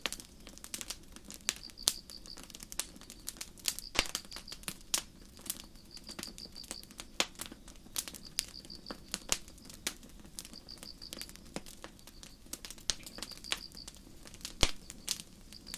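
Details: Crickets chirping on a starry night in a forest beside a campfire: short high pulsed chirps come in bursts roughly every second and a half, amid frequent sharp crackles and pops of burning wood.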